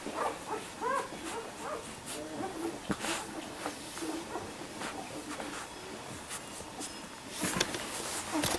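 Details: A litter of four-week-old Labrador Retriever puppies gives thin, squeaky whimpers and short yelps from several pups at once, over scattered clicks and shuffling.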